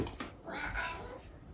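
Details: Eric, a pet cat left alone all day, meows indoors as his owner greets him on returning home; one short arched meow, rising then falling, with a few faint sounds before it.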